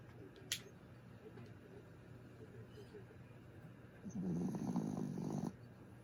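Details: Sleeping pet dog: faint, soft, rhythmic breaths for several seconds, then one louder, rasping, drawn-out snore lasting just over a second near the end, against a quiet steady background hum.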